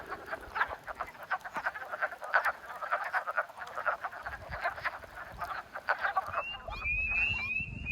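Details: A dense chorus of wood frogs at a North American wetland pond on a peak spring amphibian migration night while laying eggs: short, duck-like clucking croaks overlapping continuously.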